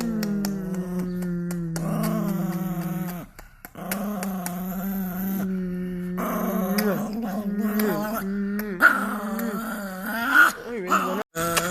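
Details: Chihuahua growling in long, sustained tonal stretches with a wavering pitch, broken by a few brief pauses; toward the end the growl turns into rising and falling whine-like notes and short yips.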